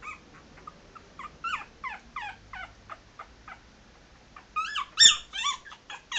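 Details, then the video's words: Maltese puppies three and a half weeks old walking around, giving a run of thin high squeaky yelps about twice a second, growing louder and denser near the end, in a quiet room. "3.5 weeks old maltese puppies walking around"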